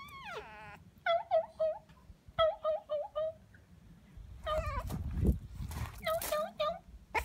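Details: French Bulldog puppy giving a rapid run of short, high, harmonic whines and yelps, each sliding downward, in clusters with brief gaps, followed by louder rough cries over a low rumbling background.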